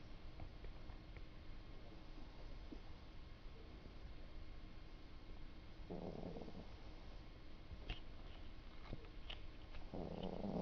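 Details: A sleeping house cat snores, giving two buzzy, grating breaths roughly four seconds apart, each lasting under a second, over a low steady room hum with a few faint clicks.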